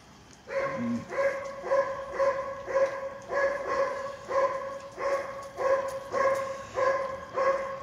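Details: Dobermanns from the L and M litters at the Von Dadashov Dobermann Kennel. The dog gives a series of clipped, tonal yelps, each at a steady pitch with bright overtones, repeating about every half second. There is a faint low murmur near the start.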